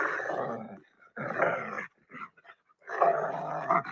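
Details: A frightened domestic dog that feels it cannot run or hide growls in rough, rumbling bursts, a warning telling you to go away.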